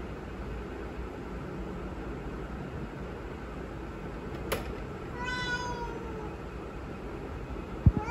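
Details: Indoor house cat that came straight to the door after a small noise, giving one drawn-out meow that slides downward in pitch, preceded by a sharp click, over a steady background hum.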